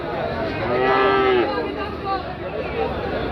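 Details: Cattle at the traditional Chandimora cattle market in Comilla: a single low, drawn-out moo lasting under a second, set against dense crowd chatter and market noise.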